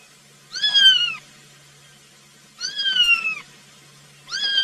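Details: Kitten crying for its mama while searching for it: three loud, clear meows, each under a second long, falling in pitch, repeated roughly every two seconds over a quiet low hum.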